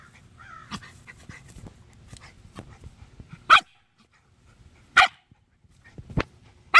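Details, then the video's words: Shiba Inus screaming at a snake give sharp, shrill screaming yelps in short, irregular bursts. "Shiba Inu Scream VS Snake"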